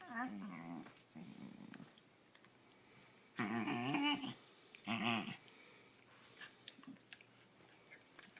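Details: Female pet dog making funny noises while playing with her owner at home: short harmonic grumbling growls and whines in bursts, two longer louder ones around the middle, indoors.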